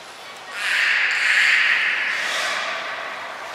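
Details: Captive belugas Hodoi, Taanya and Mirai at Port of Nagoya Public Aquarium, Japan, during a pool transfer and training session on 23 February 2021; a steady, high whistled tone holds for about two seconds over a background wash of water and hiss.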